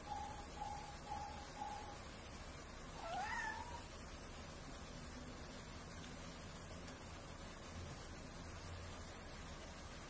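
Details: A cat gives a single short meow that rises then dips, with a faint harmonic, after a few soft repeated beeping tones, over a steady low hum.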